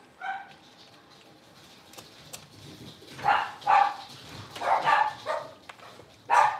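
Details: Blenheim Cavalier King Charles Spaniel puppies, a litter of five born on New Year's, playing in their indoor puppy pen; a burst of high, sharp yips and barks, one early then a cluster of four to five in the final half, quiet between.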